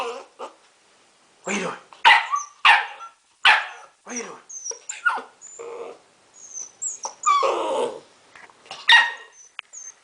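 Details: Blue pit bull puppy, seven weeks old, giving a series of short, sharp yips and barks in irregular bursts, some with a tonal ring, over roughly ten seconds; scattered clicks and light background noise between calls.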